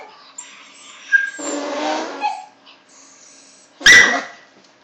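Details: Domestic dog that hates fart noises and can turn vicious, reacting to a played farting sound: drawn-out buzzy fart noise midway, then one sharp, loud bark burst near the end.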